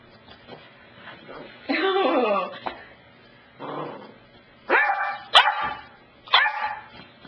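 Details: Pet dog Cassidy at the couch, giving a long falling whine-like yelp, then a pause and a quieter low bark, followed by three short sharp barks in quick succession, all in a quiet indoor room.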